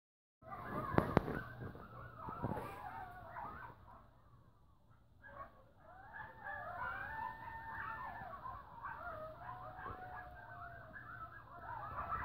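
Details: Coyotes calling close by and noisily: overlapping wavering howls and yips, sliding up and down in pitch, carry on through most of the stretch after a few sharp knocks near the start.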